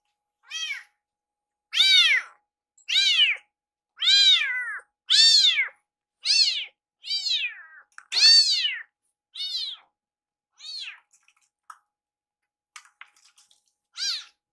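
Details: Rescued baby kitten meowing nonstop until its food is ready, urging its caretaker in the kitchen. About a dozen sharp, rising-then-falling meows repeat roughly every second, then fade to occasional calls.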